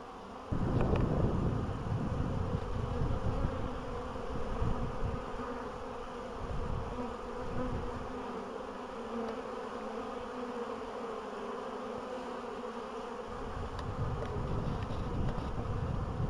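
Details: Bees buzzing on 14 April 2013 in Poland, as spring finally arrives after a long winter and the queens have begun laying. A dense droning hum continues steadily, with louder rushing bursts near the start.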